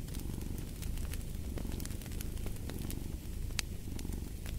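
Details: Cat purr as a continuous deep, fluttering rumble, its even loudness dipping slightly now and then, set against scattered crackles and pops from a fireplace.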